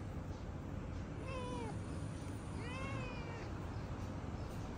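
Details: Male domestic cat that turns to fighting mode whenever he sees other cats, giving two drawn-out, wavering meows a second apart over a steady low hum.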